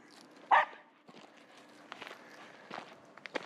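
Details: Finnish Spitz outdoors chasing after a squirrel and barking at it; one short, sharp, loud bark rings out early, followed by scattered footsteps and rustling on the ground with quiet background.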